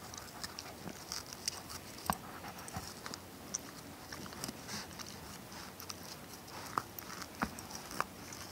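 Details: Shiba Inu / Schipperke mix named Ronin gnawing a tennis ball: scattered squeaky rubber clicks and soft crunching at uneven intervals, a few brighter snaps toward the end, quiet indoor background.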